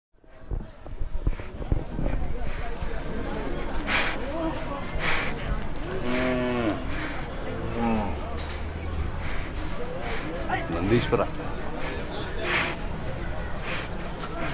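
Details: A Hallikar bull in a fierce mood at the Siddaganga fair gives deep, drawn-out lowing bellows in the middle of the recording, surrounded by constant crowd noise and people talking.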